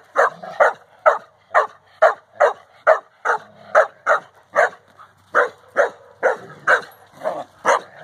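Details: Alabay Central Asian Shepherd Dog Safar at play with four-month-old pups, giving a steady run of short, hoarse barks about two per second, some slightly uneven in spacing, with faint lower grunts between.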